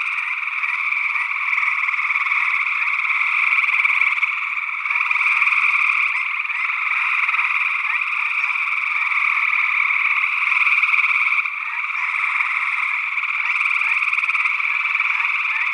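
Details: Gray tree frogs calling in Northwest Wisconsin in early June 2022, recorded with a matched pair of SE Electronics sE8 condensers in ORTF into a Tascam DR-60D II. Many overlapping trills form a dense, continuous chorus that swells and dips slightly.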